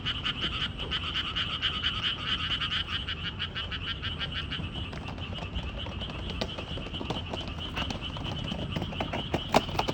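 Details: Frogs calling beside a walking trail: many rapid, clicking croaks pulse together in a dense, steady chorus that runs through all ten seconds, over a low background rumble.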